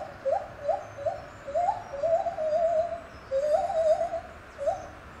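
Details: At Safaripark Beekse Bergen on 9 July 2021 a lar gibbon sings a string of quick soft upswept hoots that stretch into longer wavering level notes.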